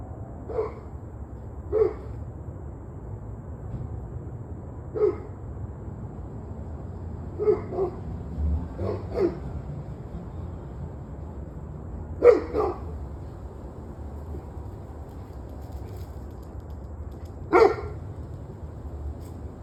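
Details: Distant dog barks in the evening, short isolated barks and pairs scattered every few seconds over a low hum.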